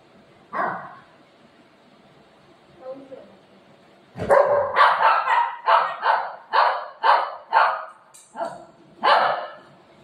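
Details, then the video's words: Buzo, a pet dog angry with his mummy, lets out one bark, pauses, then fires a rapid, uneven volley of loud barks roughly twice a second, with a person's voice faintly audible. "Buzo ne mummy per Aaj gussa Kiya"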